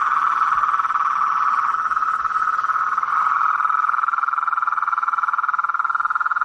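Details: Blacksmith tree frogs calling in a swamp at night: a steady, dense trill of rapid pulses at mid pitch, rising and falling slightly in loudness throughout, with a faint higher whine above.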